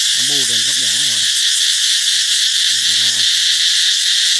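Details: Cicadas singing to herald the coming of summer: an unbroken, shrill, high-pitched buzzing drone fills the whole clip at steady loudness, while a human voice talks over it in the first seconds and again briefly near three seconds.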